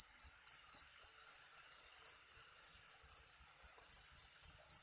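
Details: Cricket calling, used to scare off rats: a run of sharp, high chirps about four per second, briefly faltering near the middle before resuming its regular beat.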